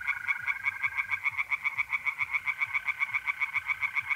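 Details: Tree frogs in a pond at night, mid-April in north-east Italy, giving a brisk string of clicking, rasping pulses at about five per second, with a smooth mole cricket trill humming beneath during the first second.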